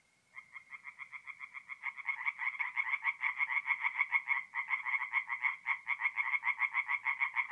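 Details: At a north-east Italian forest pond on an April night, tree frogs sing: one frog starts with quick rhythmic croaks, then others join in after two seconds, building into a loud, fast overlapping chorus.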